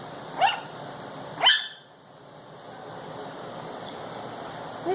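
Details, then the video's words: Ten-week-old Chihuahua puppy indoors barking at a dancing Christmas toy dog: two sharp, high yaps about a second apart, a third starting at the very end, over a steady room hum. "Chihuahua Barking"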